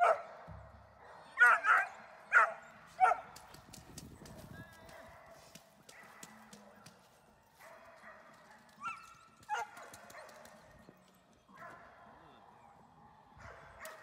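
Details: German Shepherd in protection training: a few loud sharp barks early on, then quieter growly sounds, with a person speaking and handling noise in the background.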